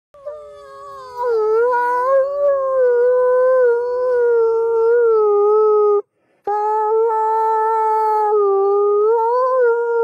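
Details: Wolves howling, as if talking to someone: long, steady, smooth tones that waver slightly in pitch, with several voices overlapping and a brief pause midway, no other sounds.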